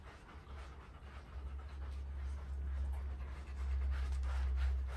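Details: Golden Retriever being brushed indoors, panting in quick breathy puffs, close to two per second, growing louder toward the end over a steady low rumble.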